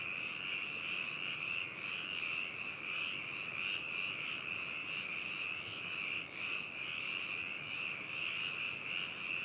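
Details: Binaural recording of a frog chorus in Hakushu, Yamanashi Prefecture, Japan, 4 May 2018: constant high trilling croaks from many frogs, layered and continuous, with a brief dip around the six-second mark.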